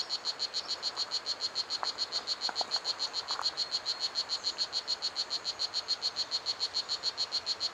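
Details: A strawberry poison dart frog (Oophaga pumilio), about 2.5 cm long, sings a fast, steady series of high, buzzy chirps, several each second, in a 3-hectare ecological garden.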